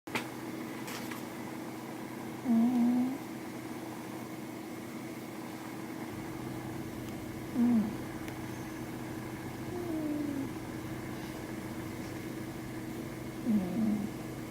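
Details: A sleeping Scottish Fold cat (Felis catus) snores softly, with low, brief rasping breaths every few seconds.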